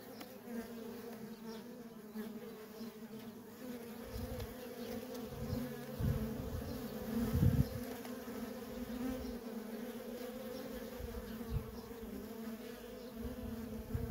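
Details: Constant buzzing drone from busy worker honey bee traffic at a feral colony, the even hum overlaid by bursts of low thumping rumble in the middle stretch, with a few louder close passes.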